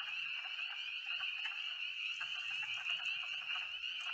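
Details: Spring peepers calling in the woods near a filled-in pond on Ivy Mountain: a dense chorus of shrill, high peeps blending into a steady ringing band, with faint low rustling beneath.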